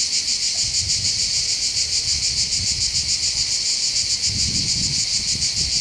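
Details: Chorus of cicadas on the hills overlooking Bandol harbour in the Var, Mediterranean coast of France: continuous shrill buzzing with a regular throbbing pulse roughly three per second, and soft low murmurs of wind in the background.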